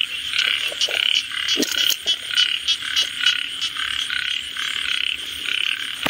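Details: Frogs calling in Cambodia: dense, rasping pulsed croaks in two bright bands, overlapping and repeated rapidly and irregularly throughout, with a steady high hiss behind them.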